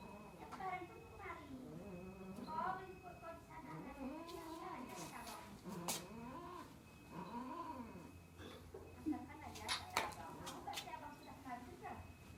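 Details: Cat mating, wailing in a long series of drawn-out, wavering yowls that rise and fall, repeated every second or two, with a steady low hum and a few sharp clicks in the background.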